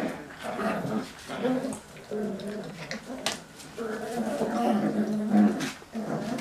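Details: Cocker Spaniel puppies playing tug-of-war indoors, low rumbling growls rising and falling through the struggle, mixed with scuffling and a person's voice in the background.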